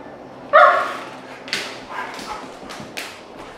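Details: Two-year-old male Cane Corso and Pitbull playing together: one loud, tonal bark opens, followed by several short, breathy, gruff vocal bursts spaced about half a second apart.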